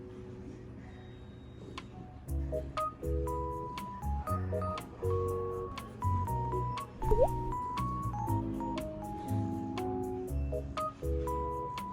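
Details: Gentle, plucked, bell-like music with short repeated notes and sharp clicks plays in a small room, and no animal voice is heard.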